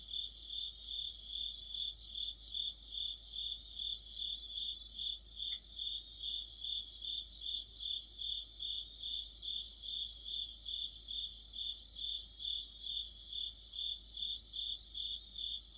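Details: Deep-autumn insect orchestra of crickets and friends near a streetlight, a shrill steady trill pulsing about twice a second, with repeated spells of quick, higher chirping from a second singer and a single sharp click near the middle.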